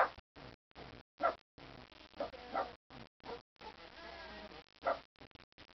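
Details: Buddy the dog, upset about something, gives a run of rough, gruff barks and longer grumbling bursts, irregularly spaced, with a couple of louder sharp barks standing out.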